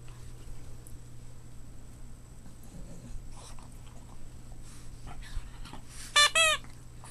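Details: Boston Terrier puppies at play indoors: after several seconds of soft scuffling, two short, high, squealing yelps with bright harmonics burst out back to back near the end, over a steady low electrical hum.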